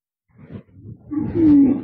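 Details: Free-ranging cattle in an oil palm plantation in Malaysia: rough low grunts, then a loud, drawn-out tonal moo lasting under a second, slightly falling at the end.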